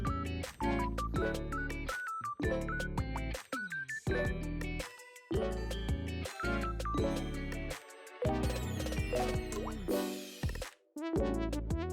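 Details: Bright melodic music with plucked, bell-like notes and dripping tones plays throughout, with no animal voice heard.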